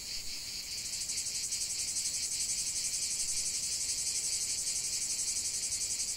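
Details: Cicada song in nature: after a brief softer start the high, rasping buzz swells and settles into a rapid, rhythmic pulsing drone that continues without pause.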